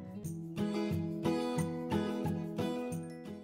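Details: Plucked acoustic guitar music with steady rhythmic strums fills the whole stretch, with no animal sounds audible.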